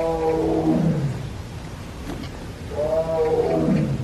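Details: Repeated morning crying from a tiger at Everland zoo in Korea: two harmonic moans roughly three seconds apart, each sliding downward into a low growling tail, over faint background hum.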